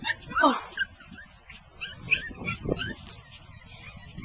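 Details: Five female Maltipoos, a Maltese and Toy Poodle mix, playing in a yard with a two-year-old boy: a squeaky high yelp dropping in pitch, then scattered short yips and scuffling, with a child's voice among them.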